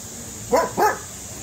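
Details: Rat terrier facing a cat, giving two short sharp barks about a quarter second apart, loud against a quiet background.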